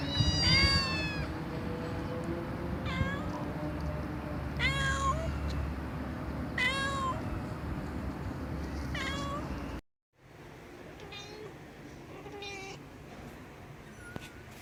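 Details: Domestic cat making an unusual call: a series of loud, rising-then-falling harmonic meows repeated about every two seconds, then fainter meows after a brief break, over a steady low hum.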